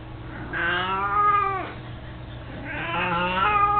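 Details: Two rising-then-falling meows, each over a second long and strongly harmonic, come from Mico, an 18-year-old chubby, mostly blind cat who loves carrying his toy mouse; a low electrical hum runs underneath.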